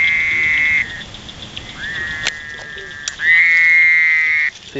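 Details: Fowler's toad (Bufo fowleri), a male with a striped back, found while herping in Indiana, gives a nasal, buzzy drone held steady for a second or more at a time while croaking.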